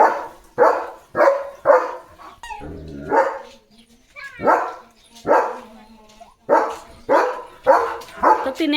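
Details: Leo, a German Shepherd, barks while playing with a balloon. About a dozen sharp, broad barks come in quick bursts roughly every half second, broken by a brief whiny, tonal sound and a short pause midway.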